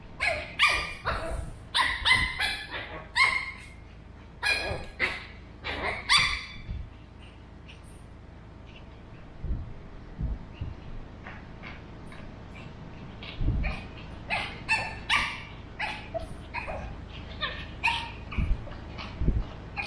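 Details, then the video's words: Burrito, a male Pug puppy of 13 weeks, in an animated back-and-forth with Vanta, a two-year-old female mixed Shih Tzu. Dense bright yips open the recording, then quieter, scattered barks and soft thumps follow after a lull. "Puglet and Shih Tzu have a conversation"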